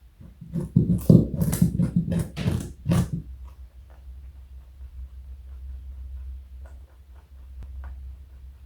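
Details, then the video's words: Joey, a pet rabbit weighing 4.6 kg and over 60 cm long, crunching a carrot indoors: about three seconds of rapid, irregular crisp bites and crunches, then quiet with a low room hum and a few faint clicks. "Joey is Eating Carrot and Yawning. Cute Bunny."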